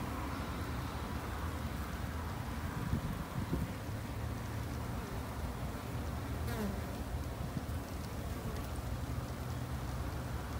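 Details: Japanese honey bees kept in a backyard by a beekeeper two months into keeping them for conservation: a steady, dense low droning hum of many bees that runs unbroken throughout, with a few faint clicks and ticks on top.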